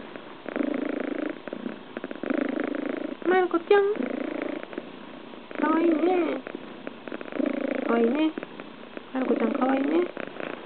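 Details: Scottish Fold kitten lying relaxed on its owner's lap and purring hard, a continuous rumbling purr pulsing in breath-length phases, while a woman's voice speaks softly in short bursts over it.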